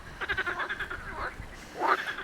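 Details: Frogs singing at a wine estate in Saint-Rémy-de-Provence, during a dry spell of several weeks, call in a quick run of pulsed, nasal croaks with a louder burst near the end.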